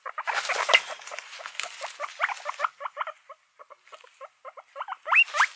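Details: Pet guinea pigs, a mixed group: an opening burst of loud overlapping squeals gives way to short, evenly spaced chirps, ending in a rising whistled squeak with some rustling.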